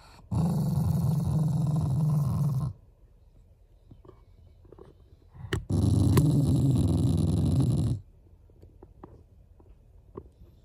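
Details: Loving family Shiba Inu whose growls show affection rather than anger: two sustained, gravelly low growls of a few seconds each, a sharp click between them, quiet room afterwards.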